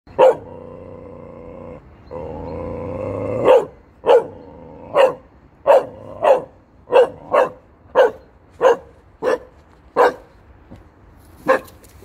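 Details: A Chow Chow barks at statues, repeatedly, in short, deep, gruff bursts.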